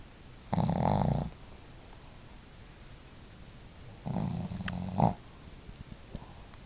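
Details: Snoring duet of two home dogs, Marimo, a female with a bold snore, and the gentler Daigoro; a loud rasping snore, a quiet gap of about three seconds, then a second raspy snore ending in a snort.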